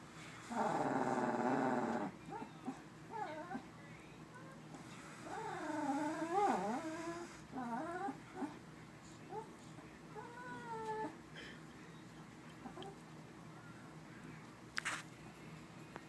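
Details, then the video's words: Pet dog reacting as air is blown lightly into its face: a broad noisy burst, then a run of wavering, whining vocalizations that bend up and down in pitch, fading into softer whimpers, with faint human voices. "Dog Makes Funny Noise"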